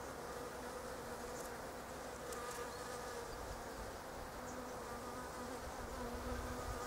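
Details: Several bees working pink Japanese quince blossoms, not staying still on any flower; a full, steady buzzing drone with shifting overlapping tones as they fly close by.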